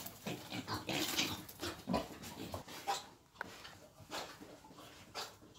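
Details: Wild boar being taken for mating, giving a run of rough, broadband grunts and snorts. Several loud bursts come in the first two seconds, then softer, irregular grunts follow.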